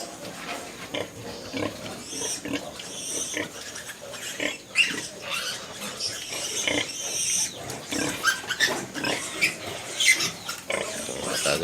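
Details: Pig sounds from a piggery where sows are farrowing one after another in December, around two in the morning; dense harsh grunts and squeals crowd together in an uneven, restless stream over steady barn noise.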